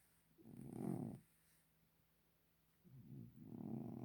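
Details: Domestic cat snoring: two soft, low, rasping breaths about two and a half seconds apart, each lasting roughly a second, with quiet pauses between.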